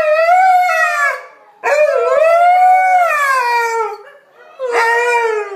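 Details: Domestic dogs singing as a group, one dog leading with backup howlers; sustained rising-and-falling tonal howls in three long phrases separated by short pauses.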